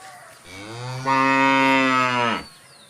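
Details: A cow gives a single long, loud moo lasting about two seconds. It starts softer, then swells into a strong, steady, harmonic-rich tone before cutting off abruptly. A faint high hiss sits in the background.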